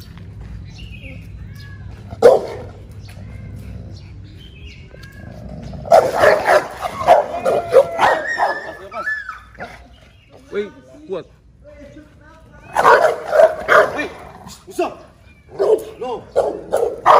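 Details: Rottweiler and Pit Bull in a confrontation, with bursts of harsh, clustered barking and growling in two loud spells separated by quieter gaps, over a background of human voices and some music.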